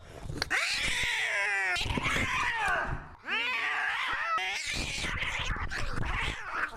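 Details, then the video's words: Maxwell the cat screaming: long strained yowls bending up then down, three drawn-out cries in a row with brief breaks, in a small indoor room. "Taddy Cat Screaming Compilation"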